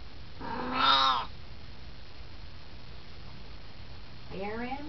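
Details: Siamese cat aged 18, just hanging out and chatting: one firm, wavering meow near the start, then after silence a softer rising call at the end.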